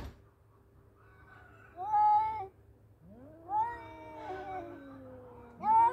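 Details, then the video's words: Two male cats in a fight: after a quiet start come short sharp yowls and a long, slowly falling moan, then a sudden rising wail at the end, with a faint hum behind. "Battle of Two Cute Male Cats .(Cat Voice)."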